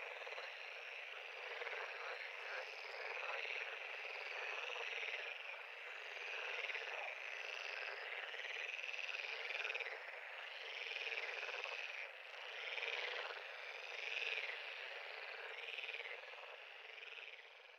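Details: Many frogs calling together at a pond give a thick, unbroken chorus of rapid pulsed trills and croaks that swells and eases gently over time.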